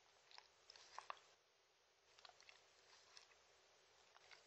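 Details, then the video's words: Shetland Sheepdog Mindy eating dog-friendly treats, no talking: quiet crunching bites come in short clustered bursts near the start, middle and end, separated by near-silent pauses in a small indoor space. "ASMR Drinking sounds Compilation Shetland Sheepdog"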